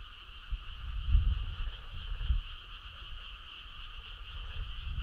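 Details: Frog calling on a summer night: low, rough croaks pulse around one and two seconds in, over a steady high chorus drone that runs throughout.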